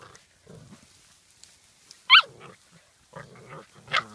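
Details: A Welsh Springer Spaniel makes soft, low grumbling growls, broken by one sudden loud, high yelp midway and a second sharper yip near the end.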